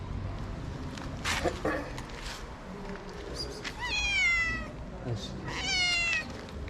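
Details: Hungry homeless street cat in Morocco, meowing and sniffing at the camera: two clear, high, falling meows with rich stacked harmonics near four and six seconds, a person speaking softly in Arabic and English in between.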